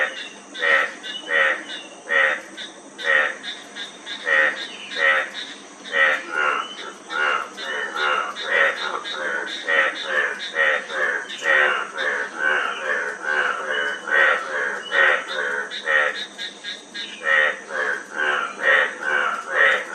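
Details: Dense frog chorus: many overlapping buzzy croaks from several callers run together in a busy, uneven stream. The calling thins briefly before picking up again. A faint high hiss lies underneath.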